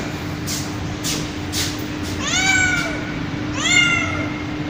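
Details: Mother cat calling to her kittens with two long, clear meows that rise and fall, after a few soft rustling noises, over a constant low electrical hum.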